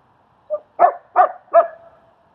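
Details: Strike the German Shepherd and Leonidas during dog training in Queens, New York: a small soft yip, then three loud, evenly spaced barks about a third of a second apart, with a faint steady hum behind.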